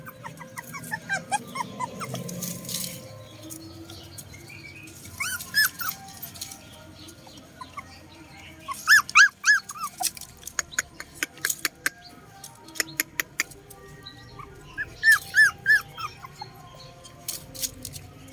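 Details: Several puppies feed together; brief clusters of high, arched whimpers come at intervals between bursts of clicking and crunching from the food, with quieter stretches in between.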